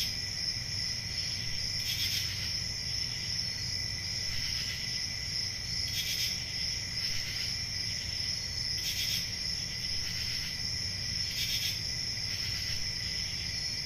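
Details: Night crickets in summer keep up a constant piercing trill with a fainter lower layer, while short breathy bursts recur every two to three seconds over a faint low hum.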